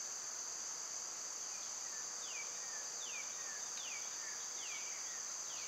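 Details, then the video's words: Cicadas in summer, loud at this time of year, give a steady high-pitched droning hiss that runs unbroken throughout, while birds add short descending whistled slurs every second or so. "Cicada sounds"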